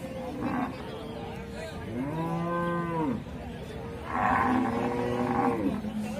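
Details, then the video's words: Cattle lowing: a sustained, rich moo rising then dipping near two seconds, followed by louder, rougher overlapping moos after four seconds, with background chatter. "cow video"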